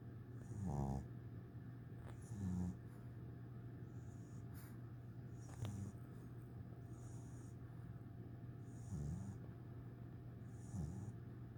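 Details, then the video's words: Eight-week-old English Bulldog puppy asleep next to his teddy bear on his first day home, giving soft low snorting snores at uneven gaps of about two seconds, over a constant low hum. "Cute 8 week old English Bulldog Snoring"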